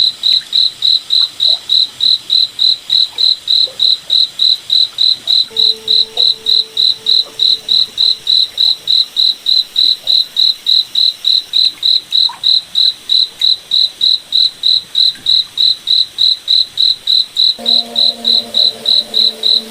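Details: A cricket chirps steadily at night in a forest, sharp high pulses roughly three and a half per second throughout, with faint low droning tones coming and going beneath.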